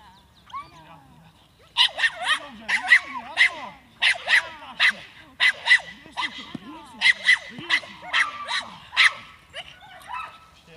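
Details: Seven-month-old Staffordshire bull terrier barking during defence training, a run of about fifteen sharp, loud barks in quick bursts with short gaps, a man's voice talking underneath.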